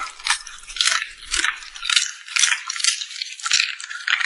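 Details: Cute puppy smacking its lips while eating: crisp, wet clicking and crunching bursts, roughly two per second and slightly uneven, bright and hissy with no low rumble, recorded close up indoors.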